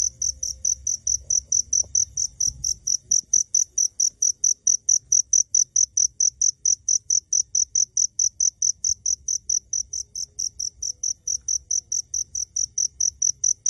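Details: A cricket heard at close range yet unseen, giving a steady series of short, high, pure chirps at about four per second, a faint low rumble beneath.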